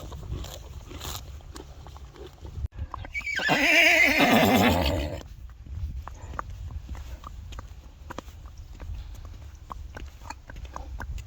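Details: Friesian horse giving one loud whinny of about two seconds, a wavering harmonic cry that falls in pitch. Scattered clicks and faint low rumbling come before and after it.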